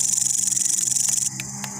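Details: A green or brown long-horned grasshopper gives a high, rapidly pulsing buzz that stops abruptly after about a second.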